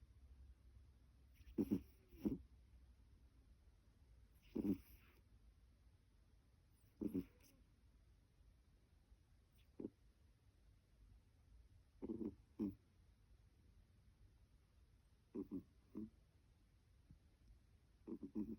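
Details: Snoring from a female house cat born in 2009, nasal congestion suspected: rough, wheezy double snorts repeating about every two and a half to three seconds in a quiet room.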